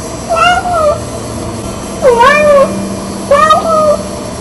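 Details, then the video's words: Impatient female red tabby Persian cat meowing indoors in the morning to get her owners out of bed. Three clear, rising-then-falling meows, each about half a second long, are spaced about 1.5 seconds apart in a quiet room. "The Talking Cat"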